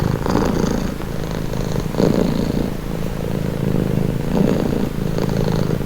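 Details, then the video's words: Soft, deep purr of a house cat, the vibrating drone surging about every two seconds with each breath, gentle and unbroken throughout. "Purring cat"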